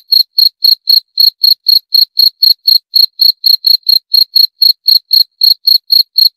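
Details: Steady cricket chirping, bright, piercing pulses repeated around four times per second in a clean, unbroken rhythm with nothing else audible.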